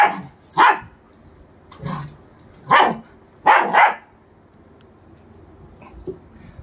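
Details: German Shepherds, a two-month-old puppy and a three-year-old adult, barking during play; five loud, sharp barks in quick succession, two of them back to back, then a faint final yelp near the end.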